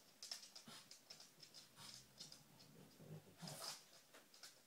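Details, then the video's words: A female dog searching for treats indoors. Quick, breathy sniffs come as short noisy puffs of air in irregular bursts, with a louder flurry near the end and faint rustling between them. "dog searching for treats"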